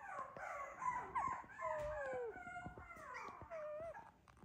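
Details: Teacup toy poodle puppy, short-legged, weighing 389 g on December 12; thin high wavering howls and whines that rise and fall, repeated in short bursts over several seconds, with soft clicking noises.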